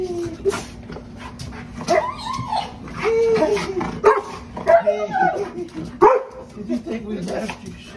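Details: Golden Retriever indoors, wildly excited by a new squeaky toy; rising and falling whines and yelps mixed with toy squeaks, a woman's high-pitched voice talking over him, and background music.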